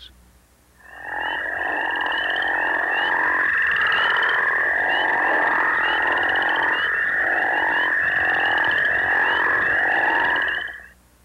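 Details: A group of northern crayfish frogs in Missouri, which breed in early spring in farm ponds and flooded ditches, gives deep, overlapping snoring calls that rise and repeat steadily.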